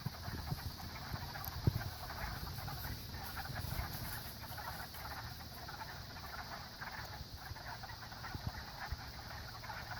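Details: Many frogs calling together at a pond, a dense, steady crackling chorus of overlapping rapid trills in the mid range, with occasional low thumps nearby.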